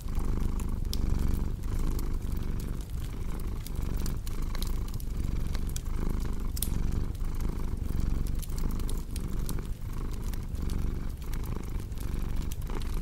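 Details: Steady purr of a cat, a strong low vibrating drone rising and falling with each breath about every 0.8 seconds, while a fireplace crackles and pops in the background.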